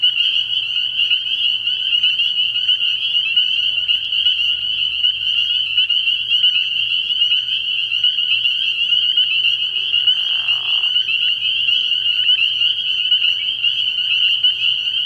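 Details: Early-spring nighttime frog pond full of spring peepers, their countless shrill, high-pitched peeps merging into a steady ringing chorus. A faint low hum runs underneath, and a brief lower raspy burst appears around ten seconds.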